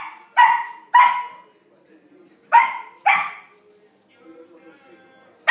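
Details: Samoyed puppy Flake playing with his first big ball, barking sharply: two paired barks, then another pair, followed by quiet rustling and a faint voice calling.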